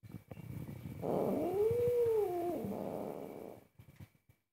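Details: Angry house cat objecting to its owner cooking, a low moaning meow that rises then falls over about two seconds, wrapped in rough growling, with a faint steady background hum.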